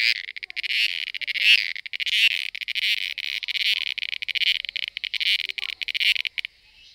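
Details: Cicada calling during mating: a loud, continuous buzzing drone made of rapid pulses, swelling and fading slightly, that stops abruptly near the end, leaving quiet.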